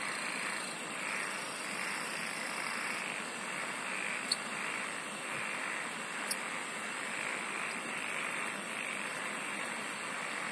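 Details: Singing insects fill the air with an unbroken high-pitched drone and soft rasp; bursts of fast, very high pulsing open and close the stretch, and a couple of isolated sharp ticks land in between.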